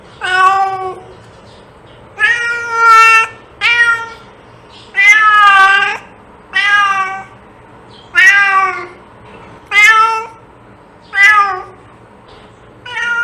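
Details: Domestic cat meowing, used to attract cats: eight loud drawn-out harmonic meows, some rising then falling, spaced every one to two seconds, in a quiet room.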